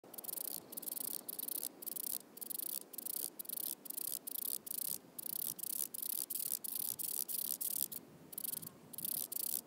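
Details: A wing-buzzing toothed grasshopper (Stenobothrus rubicundulus) at Mala Ucka, Croatia, on 26 July 2023, sings in short, dry, high rasping bursts about twice a second, with a faint hiss between them.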